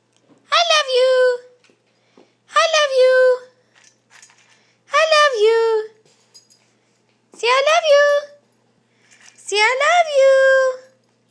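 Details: Siberian Husky puppy Jacob, a family pet at home, 'saying I love you': five drawn-out, whining howl-like calls with rich harmonics, each about a second long and rising then settling, repeated every two seconds or so in a small indoor room.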